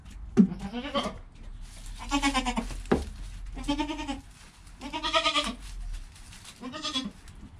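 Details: Goat kid Joel in the first hour after his birth, mother Penny calm nearby, GoPro recording: a rapid series of five wavering, nasal bleats, each roughly half a second long, with a few short knocks between them.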